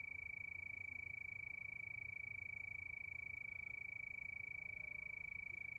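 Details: Crickets chirping at night beneath the moon: one bright, sustained, rapidly throbbing high note holds steady the whole time, with quiet low rumbling below.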